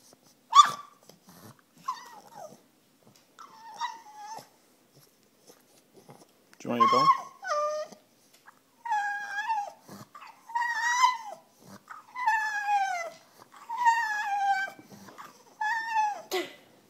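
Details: French Bulldog female begging for her bone indoors; scattered short yips and snorts early, then a run of loud, falling whines in regular bursts every second or so, with a faint human voice in the background.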